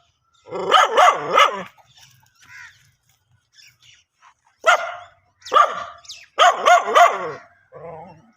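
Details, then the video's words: Barking dog: a loud cluster of three barks, a quiet stretch with faint yelps, then single sharp barks building into another burst and a soft low whine at the end. "dog barking original sound"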